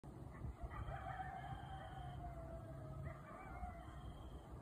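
Coyotes howl in long, wavering, sliding notes over a steady low rumble.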